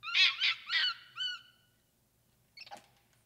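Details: Capuchin monkey giving four loud, harmonic, warbling calls in quick succession, the last a drawn-out arching whistle, then a pause and a short, softer, rough chattering burst.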